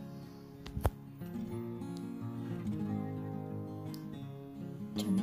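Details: Gentle acoustic guitar music with plucked and strummed chords.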